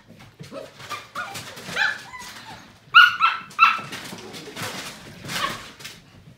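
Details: Seven-week-old Portuguese Water Dog puppies playing together: several sharp high yips and short barks, three loud ones in quick succession midway, mixed with scuffling and softer whines.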